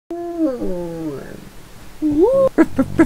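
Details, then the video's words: Female pet dog howling: drawn-out harmonic tones that sag and slide downward over about a second, a short pause, then a rising, swooping note, followed by a few brief voiced yelps or vocal bursts. "My Dog Gracie Howling"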